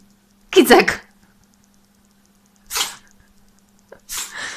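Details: A pet cat indoors sneezes in short, sharp broadband bursts, with two quick sneezes spaced more than a second apart, while a person speaks and exclaims in Polish around them.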